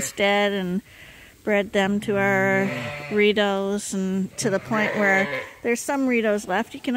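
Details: Lambs at Ewetopia Farms being bottle fed on a hand-made feeder, still with their mothers but topped up twice a day; loud, wavering, harmonic bleats in repeated bursts with short pauses between calls.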